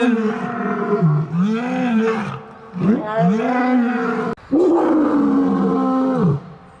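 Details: Lion giving long, drawn-out moaning roars that rise and fall in pitch, each lasting one to two seconds, in a steady run with only brief breaks.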